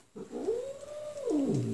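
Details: Domestic cat giving a single drawn-out meow, rising then holding steady and falling away over about a second and a half, in a quiet indoor setting.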